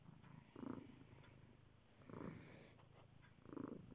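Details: Cat purring in three low, rumbling bursts spaced about one and a half seconds apart, with a soft hiss-like rush between the second and third bursts.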